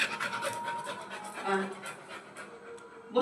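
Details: Pet black Labrador Retriever panting at home: quick, breathy puffs repeated in a fast rhythm, while a woman talks to the dog in Bengali, coaxing it to come and sit.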